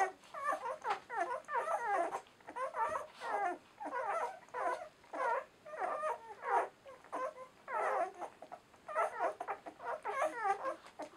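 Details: Indoor chorus of ten-day-old German Shorthaired Pointer puppies from the Donau-Wirbeln M litter, Romania: shrill, bending whimpers from more than one pup, in uneven bursts of about a second, with a brief lull near the middle.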